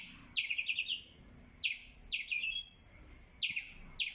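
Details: Squirrel repeating high, sharp, stuttering chirps. The first burst is a rapid run of about six notes, followed by shorter clusters of two to four chirps spaced over a second apart.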